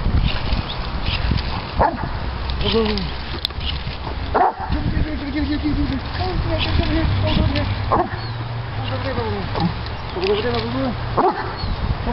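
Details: Diesel, a three-year-old Doberman Pinscher, throws a fit over bubbles: high wavering whines and yelps rise and fall repeatedly, with short barks between them, mixed with human speech and handling noise.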